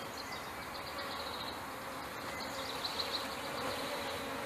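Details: Honey bees from a package being installed into a hive in May 2013, a queen covered by her attendants; a dense, steady swarm drone fills the clip, with faint thin whining tones drifting above and a few soft clicks near the end.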